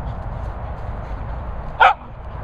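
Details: A dog out at Bumble Hole gives one short, sharp bark late in the clip, a single burst rising above a steady low rumble of wind.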